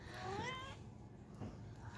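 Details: Eight-week-old Chihuahua puppies: one high, quavering whimper of several rising-and-falling harmonic notes, lasting about half a second, over a low background hum.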